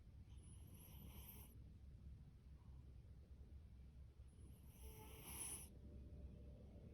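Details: A sleeping male orange tabby cat named Fasu, born October 2019 and adopted from a rescue shelter, lets out two soft, airy snoring breaths several seconds apart over a faint low rumble.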